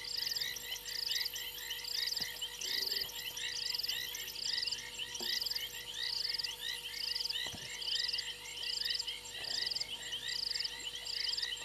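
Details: Frogs calling from a fallen tree limb at a waterhole on Djuma Game Reserve, Sabi Sand Wildtuin, South Africa, early on 28 January 2022. Regular high buzzy trills, around seventy a minute, ride over a thick mass of chirping callers and steady electrical hum.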